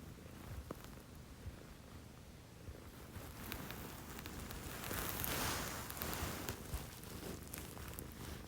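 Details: Household cat purring at 6 AM; the home has two females, Chomi, a Scottish Fold, and Putico, a Munchkin. A quick, rhythmic low purr sits under swelling rustles of fur or bedding that grow louder midway.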